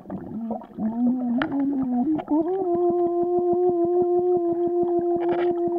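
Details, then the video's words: Swimming Vizsla whimpers, the pitch climbing in steps and then holding as one long steady whine, pulsed about three times a second by the rhythm of its paddling breaths. "Swimming Vizsla"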